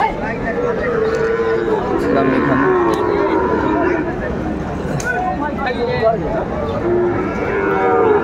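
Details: Sahiwal bull calves being bought and sold at a cattle market on 20 April 2024. Several short, partly masked moos come at the start and end, amid steady crowd noise and bargaining voices.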